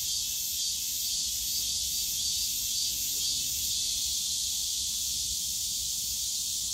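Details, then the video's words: Cicadas calling on a summer day in the bamboo grove of Yongsan Family Park, a dense, steady high-pitched hiss that fills the clip without break, with faint low park rumble beneath. "용산가족공원 대나무숲 매미소리"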